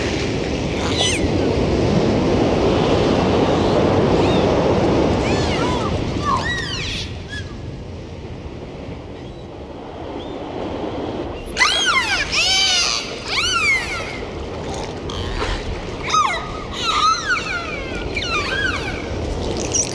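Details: Dolphin whistles: after a stretch of surf and water noise, a dense run of high, arching, rising-and-falling whistles and chirps follows, some overlapping, repeated quickly over the last eight seconds.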